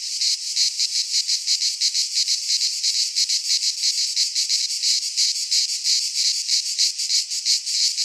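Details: Cicadas singing in midsummer in a Greek pine forest: a loud, dense, high buzzing chorus that pulses rapidly, about three beats a second, with no other sounds.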